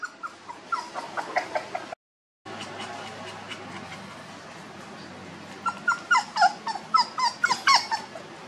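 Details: Homeless village puppies whimpering: faint broken cries early on, then after a quiet stretch a run of clear, high, wavering whines, each short and bending up then down, repeated about every half second against a low hum.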